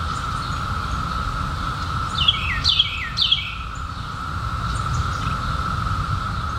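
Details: Periodical cicadas in 2021, just emerged after 17 years underground, in a summer night chorus: a steady unbroken droning buzz at one pitch throughout, while a bird gives a quick burst of descending chirps midway, over low rural background rumble.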